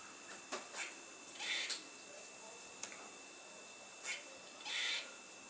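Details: Squirrel on top of a fence, curling its tail while calling; short harsh, noisy chuffing bursts, single and in pairs, spaced irregularly over a steady background hiss.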